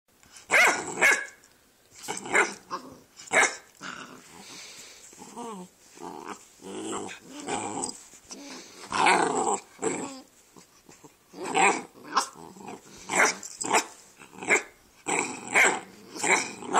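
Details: Two dog brothers, Rascal and Atom, on a couch at home, 'talking' to each other: rough, growly barks and grumbles come in quick bursts, sometimes clustered in twos and threes, with short pauses between, over about seventeen seconds.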